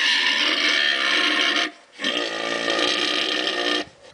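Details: Wild boar in the Wildpark Peter und Paul, St. Gallen, Switzerland, giving loud, harsh, broadband squeals. Two long screaming bursts of under two seconds each are split by a brief quiet gap.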